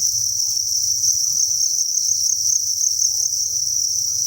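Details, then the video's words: Inside a cricket farm, a mass of thousands of crickets produces a continuous piercing high chirring that never breaks, with a soft low murmur of background rumble. "Cricket Chirping Sound"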